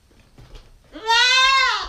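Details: Single loud bleat from a nine-week-old female Nubian goat kid, captured on a GoPro: it rises briefly, then holds a steady, vibrato-rich tone before trailing off.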